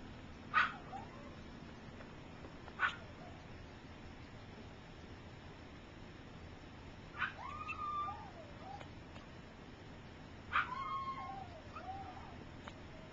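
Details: Three-week-old puppies from Gypsy's litter, some learning to walk and others sleeping: two sharp squeaks early, then drawn-out whining whimpers that waver up and down near the end, over a quiet indoor hum.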